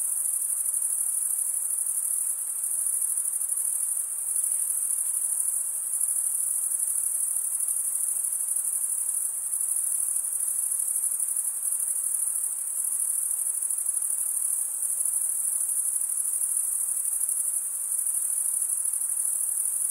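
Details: Chirping crickets, the males scraping wing against toothed wing, keep up a continuous high, metallic shrill with tiny pulsing flickers and no breaks. Only a quiet background hiss accompanies it.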